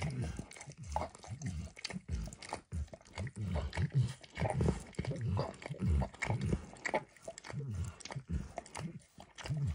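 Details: Emperor Max the dog laps eagerly at a bumpy orange lick mat spread with food, giving dense, slurping, tongue-smacking bursts about every half second, close-up and muffled, with no voices.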